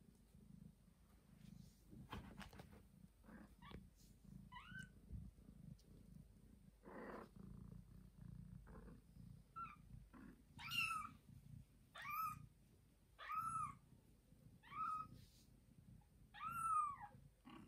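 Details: Mother cat who recently gave birth to two kittens, bringing a kitten to her owners: a steady low rumbling purr runs throughout, joined in the second half by loud, rising-falling meows repeated roughly every one to two seconds.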